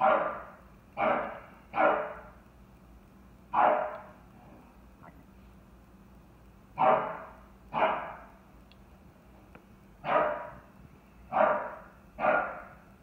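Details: English Bulldog, a chocolate tri merle, barking frantically at a bucket the dogs knocked over; loud single barks in bursts, nine barks over thirteen seconds with short pauses between, quiet background otherwise.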